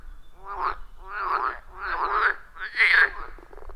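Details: Frogs calling at a wild forest pond, recorded with a phone and external microphone: four pulsed croaking bursts about half a second each, roughly one every 0.8 seconds, with harmonic bands rising toward the end.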